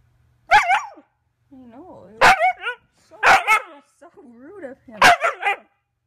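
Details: Young female Siberian Husky named Sequoia barks indoors during her first year. Four sharp, loud barks arrive roughly a second or more apart, each followed by wavering, howl-like talking whines, with a person's voice nearby.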